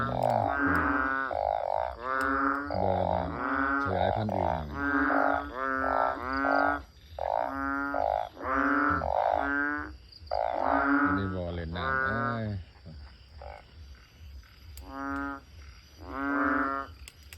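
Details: Banded bullfrogs calling beside a house through the night after heavy evening rain, still going at dawn: loud, nasal, bleating croaks in steady bursts of about a second, several callers overlapping.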